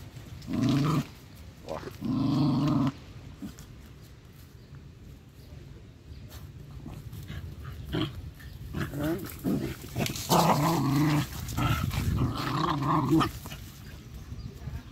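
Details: Stray dogs playing and digging together outdoors in a garden; short rough harmonic growls in bursts of about a second, a cluster near the start and a longer run of growling later, with human speech and background music.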